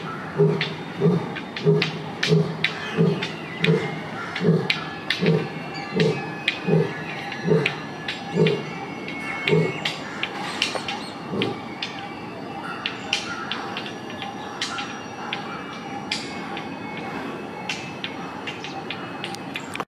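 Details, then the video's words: An Asiatic lion in Gir Forest, India, gives a series of deep, hoarse roaring grunts, about one and a half per second, then falls quiet. "Epic Lion Roar in GIR Forest / India"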